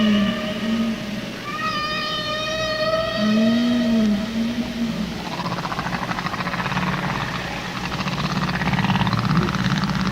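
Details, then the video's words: Humpback whale song played back for listeners: long tonal moans and rising, harmonic-rich whistled notes with a reverberant quality, low swooping groans under higher sustained tones, followed by a steady broadband wash. "Listen to the whale singing. Humpback whale. Let's listen."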